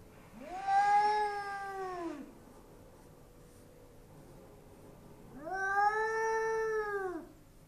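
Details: Two sustained, wailing yowls from a Bengal cat that dislikes the neighbouring Persian cat behind the glass; each call swells up, holds a steady harmonic tone near two seconds, then falls, with silence between.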